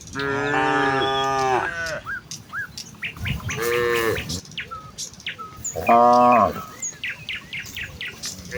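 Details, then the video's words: Morning herd of village cows on the way to the fields: three long, rich moos, the first the longest, with bright bird chirps scattered between the calls. "A herd of village cows walk towards the fields with their distinctive "moo" sound in the morning"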